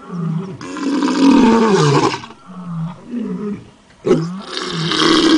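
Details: A tiger in forest near Pusad, Yavatmal, gives deep, rasping roars and growls that swell, fade, then burst out again.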